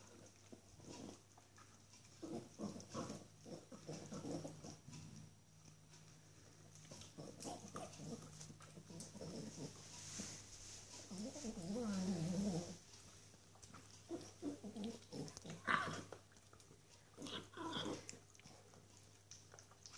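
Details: Young female Norwich Terrier enjoying a delicious bone indoors, giving low, irregular grunting noises mixed with chewing and gnawing clicks, with a louder rumbling stretch near the middle.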